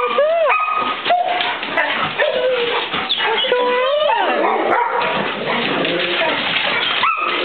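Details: Four pet dogs, two Golden Retrievers named Maxie and Maya, an Australian Shepherd named Fidget and a mutt named Corduroy, greet their owner home for the weekend; high whines rise and fall amid yips and barks, with a human voice mixed in.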